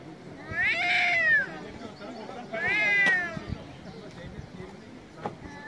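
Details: Angry cat meowing loudly: two drawn-out, harmonic-rich meows, the first rising then falling over about a second, the second shorter and descending, followed by quiet background with faint clicks.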